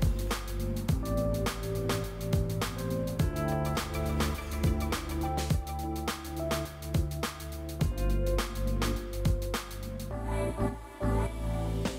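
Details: Electronic music with a pounding regular beat and sustained synth tones plays throughout, with no animal voice.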